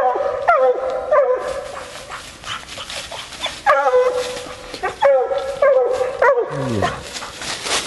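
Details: Female Bluetick Coonhound out coon hunting, barking in irregular bursts of resonant, downward-sliding notes separated by short gaps, with rustling and a lower grunt-like sound near the end.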